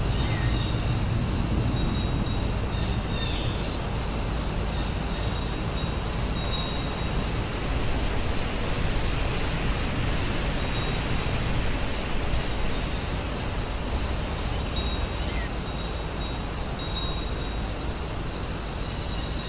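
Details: Chorus of grass insects at the Woninjae house grounds: a continuous shrill high-pitched ringing tone layered with fast rhythmic pulsing trills, set against strong steady low rumbling ambient noise.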